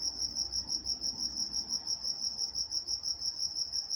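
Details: Night crickets from Walnut, California chirp in a bright, high, rhythmic pulse near three beats a second, against a soft low rumble.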